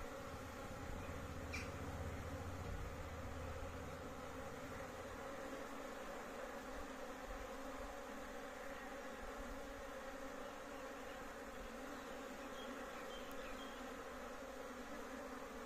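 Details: A big honey bee colony kept at home gives a steady, dense buzzing hum with a low drone underneath.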